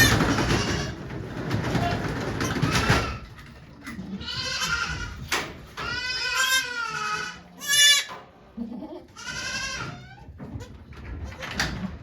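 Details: Goats at Yoshigake farm in Japan on 3 May 2023, during the birth of twin kids to the goat Okayu, watched by volunteers. Rustling noise opens, then four wavering, nasal bleats arrive in quick succession.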